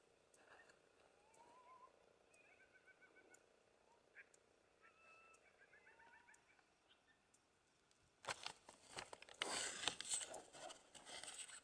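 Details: Coyotes of one family calling in the Algodones Dunes near the Wilderness Kiosk, about 4am, stormy night: scattered short rising yips and quavering howls, then loud broadband rushing noise over the final seconds.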